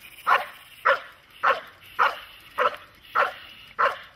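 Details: Dog barking during protection training, German Shepherd or Malinois, seven sharp evenly spaced barks roughly every 0.6 seconds, steady and loud against a quiet background.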